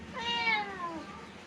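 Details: Domestic cat called back by its owner after heading to the neighbour's house to find them; a single clear meow rising briefly then sliding down and fading, in a quiet indoor setting.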